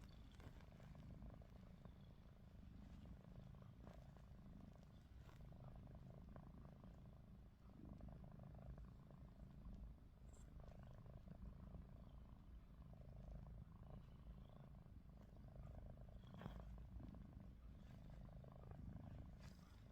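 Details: Ruby, a domestic cat dozing with open eyes, gives a long, quiet, steady low rumble of snoring, nearly uniform from start to end with scattered soft ticks and rustles.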